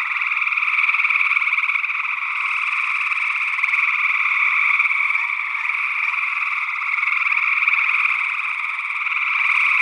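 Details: Early June 2022 in Northwest Wisconsin: many gray tree frogs trilling together, recorded with an ORTF pair of condenser microphones. The pulsed, vibrating calls blend into one steady drone with mild swells, accompanied by an unidentified second frog species.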